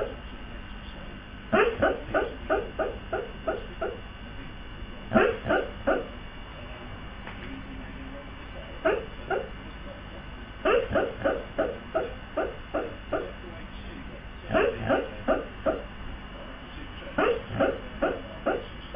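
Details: Male Siberian husky barking in his sleep, seemingly dreaming and unable to stop: soft, muffled woofs in quick bursts of four to seven, four bursts spread across the recording with short pauses between.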